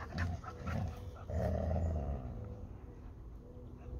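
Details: Labrador Retriever fighting over a ball with a Hungarian Vizsla; deep rumbling growls come in bursts, the longest swelling midway and lasting about a second, then fading to a quieter low rumble.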